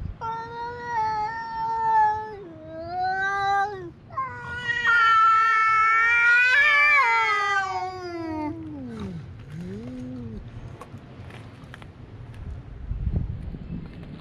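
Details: Cats fighting at a fishing port in Japan: long drawn-out wailing yowls with rich harmonics, rising into a loud strained howl, then sliding down into a low moaning growl and tapering off.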